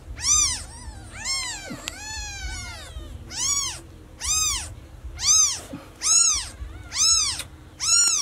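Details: Lost newborn kitten calling for mom: piercing, arching meows at a fairly steady pace of roughly one per second, one longer drawn-out cry early on, faint low hum behind.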